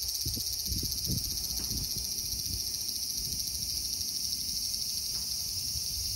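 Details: Japanese semi cicada on a park tree trunk produces an unbroken, intense, shrill buzzing drone with a slight pulsing texture. Other cicadas add to the din, and faint low thumps of movement sound beneath it.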